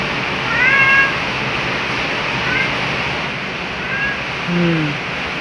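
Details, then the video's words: Black house cat Luna greets his owner loudly on waking in the morning while rain falls: a short high mew, then a lower, longer falling meow near the end, partly masked by the hiss of heavy rain. "Luna Black Cat Always Wakes Up Beside Me with A Loud Jolly Greeting"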